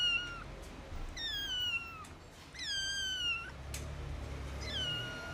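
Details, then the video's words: Stray kitten, about 45 days old, not yet walking, eyes inflamed so it cannot see, rescued with a sibling after a snowstorm; three high falling meows, each about half a second, spaced roughly a second apart, over low background rumble. "Το γατάκι νιαουρίζει και μου ραγίζει την καρδιά."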